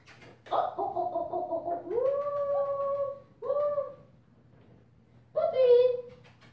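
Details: Purple-collar female German Shepherd pup, five weeks old, offspring of Ibon Jipo-Me and Witch von Wendelin, producing drawn-out howl-like whines, steady then lifting, broken by a short silence before a final cry.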